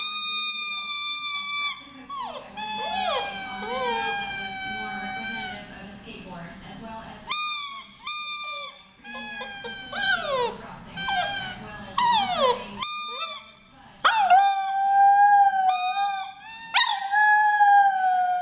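A Maltese puppy howls in high, wavering notes that slide downward, echoing the squeak of her toy.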